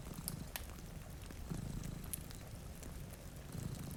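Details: Low, grainy purring rumble from sleeping pet cats by a rainy window and warm fireplace, steady beneath scattered sharp crackles of burning wood and faint rain.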